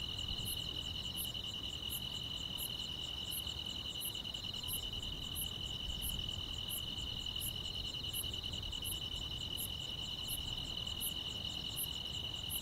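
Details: Summer-night chorus of grass insects in the quiet countryside, a continuous high buzzing trill layered with evenly spaced, very high clicks roughly every 0.7 seconds, over a soft low background hum.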